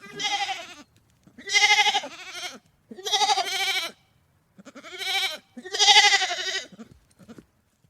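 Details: Sheep giving five strident, tremulous bleats in quick succession, each under a second, loud and harsh with a shaky vibrato, separated by brief pauses.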